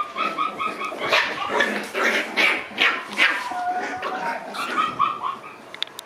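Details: Black Shiba Inu female puppy born on 21 March, giving high-pitched, ringing yelps and short barks in quick uneven bursts, several per second, with a few softer whines between them.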